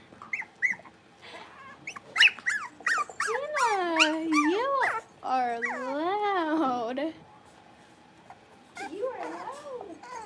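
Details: In their indoor pen, Cavalier King Charles Spaniel puppies, a blenheim litter of five born on New Year's, squeak briefly, then draw out long wavering whining cries that rise and fall like a small howl, then fade before a final whimper.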